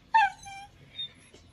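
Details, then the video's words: Grumpy whippet giving a single short high whine that slides downward and fades, followed by a faint, softer whimper about half a second later; otherwise quiet. "grumpy whippet"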